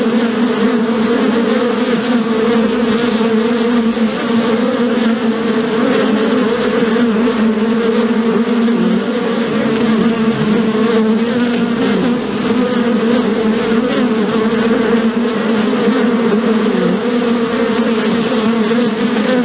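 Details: Many bees buzzing together, possibly at a beehive, a long steady drone with two strong low tones, gentle pitch dips and rises as bees move, unbroken throughout.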